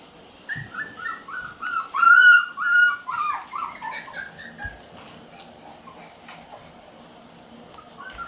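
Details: Red Shiba Inu male puppy born June 27, indoors, giving high squeaky whimpers and whines in quick uneven bursts, loudest midway, then trailing off into quieter squeaks with a few soft knocks in the room.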